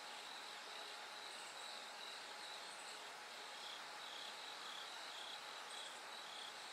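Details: Night-time bell crickets while darkness gives way to light: continuous chorus of high, bell-like pulsed trills, evenly repeated, over a faint steady hum.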